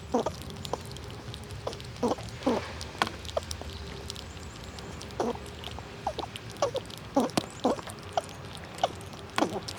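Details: Wild squirrels gnawing nuts in winter and pushing each other around; sharp crunching cracks come in small clusters every second or so over a faint steady hum.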